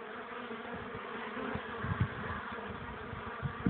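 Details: Hive entrance of honey bees bringing in pollen at 1 pm on 21 April 2013, cold wind at 12 °C making landing hard. Continuous humming buzz from many bees with a few soft thumps of wind.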